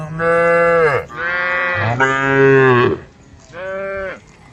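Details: Cows on a road calling the herd: four loud, rich moos about a second each, the first and third dropping in pitch at the end, separated by short pauses.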